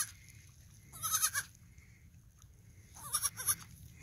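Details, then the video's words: Vocal three-day-old male fainting goat kid bleating twice, each a brief wavering cry roughly two seconds apart, over a low steady background hum. "Baby goat talking a lot. He's 3 days old"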